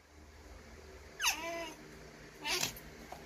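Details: Pet baby otter Coco trying goat's milk for the first time gives two harmonic squealing calls about a second apart. The first falls steeply and then levels off, and the second is shorter and sharper. The room is otherwise quiet.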